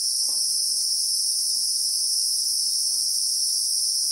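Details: Continuous shrill insect hum from the Christmas beetle (Anoplognathus), South African bushveld among acacias, real-time recording; the high, even buzz never pauses, while a few faint low knocks sound in the background.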